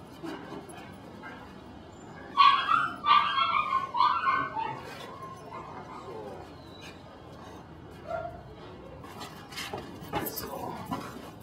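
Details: Belgian Malinois puppy in Mexico giving a burst of short, high yappy barks and yips around the middle, about three per second, then quieter with faint rustling and people nearby.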